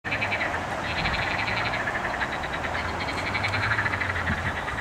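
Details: Frogs croaking in a chorus on 8 May 2021: steady overlapping rattling croaks pulsing rapidly and continuously, with a low droning hum underneath.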